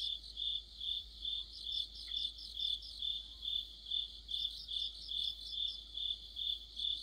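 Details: Crickets chorusing with other insects in mid-autumn under a streetlight, shrill high trills beating in steady pulses roughly twice a second, several voices overlapping into a bright layered hum; one faint brief chirp lower down.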